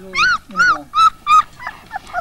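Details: Central Asian shepherd dog at a breeder's in Tajikistan, April 2001: four loud, high, yelping barks about a third of a second apart, then softer whining notes, with people talking nearby about a female that bore twelve puppies.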